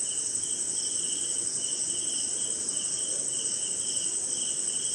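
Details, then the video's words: Crickets in the jungle at night in rain, India: dense, continuous high trill with a second chirping band pulsing steadily in short bursts, over a soft even hiss. "Sleeping Night in Jungle - Cricket & Swamp! Forest Sound"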